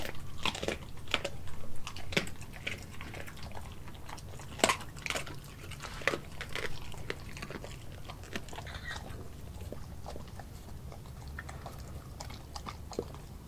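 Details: Australian Kelpie German Shepherd mix Nala gnawing a raw meal of beef liver, heart and chicken pieces; crisp, irregular crunches and bone-snapping clicks, one sharp crack standing out, softer chewing continuing throughout.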